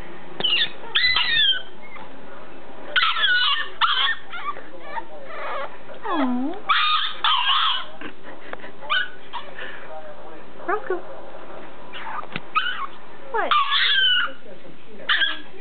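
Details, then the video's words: Roscoe, a dog who hates his pen, throwing a fit: repeated high whines and yelps sliding up and down in bursts, with a person talking to him between the cries. "Roscoe throwing a fit.."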